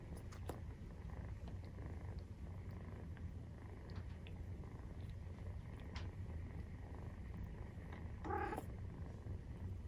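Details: Continuous deep purr from a Maine Coon at nursing time, kitten aged 43 days; even low throb throughout, a brief louder rustle or bump near the end.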